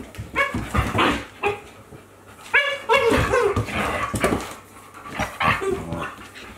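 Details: Two Akita Inu playing together, a 14-month-old and a 2-month-old puppy, trading sharp harmonic yelps and whiny yips in irregular bursts, several per second, with brief quiet gaps between flurries.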